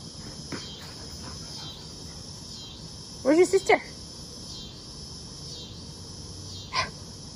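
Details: Summer cicadas sing in the background of a front yard while puppies play: a constant high, buzzing drone, broken by a short burst of barks or voices near the middle and a brief sharp sound near the end.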